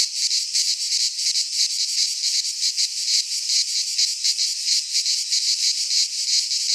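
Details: Greek pine forest cicadas in midsummer, their high buzzing chorus throbbing in slower, distinct surges roughly every second, steady and loud from start to finish.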